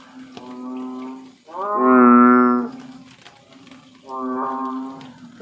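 Three resonant, humming calls from an American bullfrog, each about a second long, with the loud middle one sounding much like a cow's low moo. A faint steady hum lingers between the calls.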